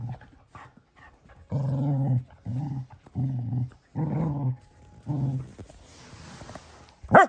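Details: Male Cocker Spaniel pup upset with his Baby Yoda toy gives six short, low rumbling growls in a row, followed by a soft hiss and a single high squeak at the end.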